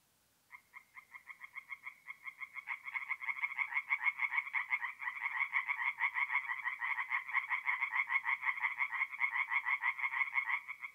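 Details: Mid-April night at a forest pond in North-East Italy: one tree frog begins with a series of evenly spaced rasping croaks, then others join, building into a louder, dense pulsing chorus.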